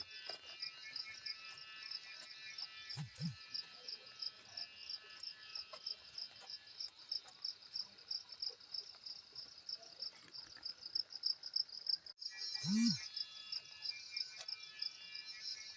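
A cicada buzzes continuously at a high pitch, its song carrying a fast, beaded pulsing throughout.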